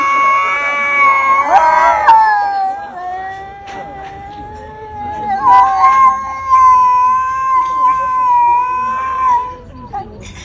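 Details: Cat spoiling for a fight without attacking, letting out one sustained, wavering caterwaul for nearly ten seconds, its pitch wobbling and swelling in loudness, with brief harsher bursts early on.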